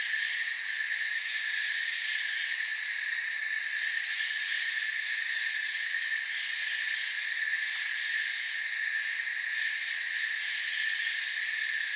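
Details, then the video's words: Crickets in a forest produce an even, ringing insect chorus of several high-pitched trilling bands, continuous and unvarying in loudness across the whole stretch. "Forest Sounds and Crickets"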